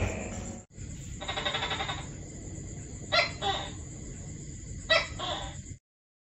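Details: Tree-dwelling tokay gecko, active at dawn and dusk, calling twice in paired syllables, a clipped first note then a drawn-out second, after a stretch of broad noise, with a constant high-pitched hiss in the background.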